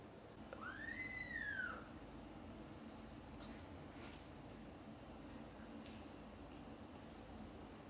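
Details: Mother domestic cat calling her kittens, who are busy playing and sleeping, to wake up for lunch time: a single clear meow arching up and then down over about a second, followed by quiet indoor background hiss and faint knocks.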